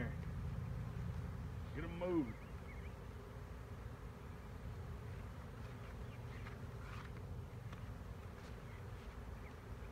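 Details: Swarming honey bees, recorded in 2019, give a constant low-pitched buzzing. A single spoken syllable cuts in early and distant birds twitter softly.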